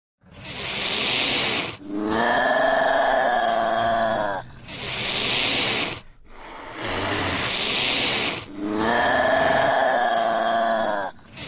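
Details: Caracal (Caracal caracal), hiss and call.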